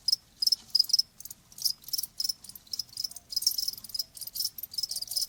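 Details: A cricket's high-pitched chirps, shared as a nature sound said to ease tinnitus: short shrill pulse trains in uneven groups separated by brief silences, otherwise quiet background.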